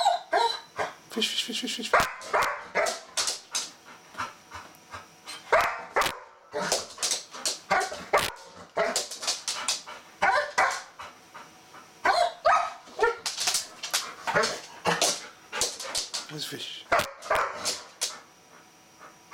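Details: Excited female Golden Retriever going nuts for a bristlenose catfish, wanting to play; brief whines and yips scattered through a long run of busy clicks, taps and scrabbling.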